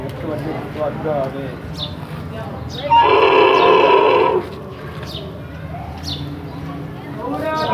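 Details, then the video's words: A large camel with its young; a loud harmonic-rich call lasting about a second and a half dominates the middle, with softer grunting before and after, and a person speaking in Hindi. "Camel voice"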